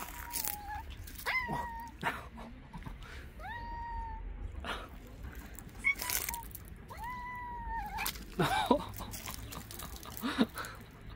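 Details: Devoted street cat mother guiding a person to her kittens, calling repeatedly: a series of drawn-out, slightly rising meows spaced a second or two apart, mixed with clicks, rustling and handling noises.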